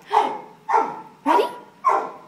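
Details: Female dog barking while playing fetch: four sharp, evenly spaced barks about every half second, each with a quick onset and fading tail.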